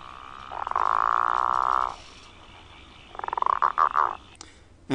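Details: Southern bell or growling grass frog (Litoria raniformis) call, played as an example of its call during a search in Victoria: a long, rough, pulsing growl like a revving motor, then a few short croaks.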